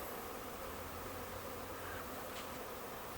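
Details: A bee swarm of thousands in a Huntington Beach backyard, likely passing through until a scout finds a better spot: continuous thick droning buzz, level throughout, with a faint low rumble underneath.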